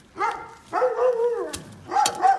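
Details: Kangal dog at the kennel where the dog Mercan was brought for mating: two drawn-out, harmonic whining howls, the first about a second long and steady, the second shorter and higher, separated by a sharp click.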